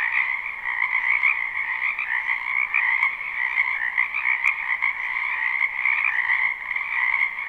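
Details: Spring wetland frogs calling together, recorded live beside a house: an even, droning wall of overlapping croaks with small rhythmic rises in loudness and a couple of faint clicks.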